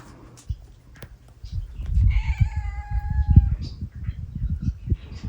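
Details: Large-bodied domestic cat with a cute voice meowing: one drawn-out, slightly falling tonal meow lasting about a second and a half, over steady low rumbling background noise and soft thumps.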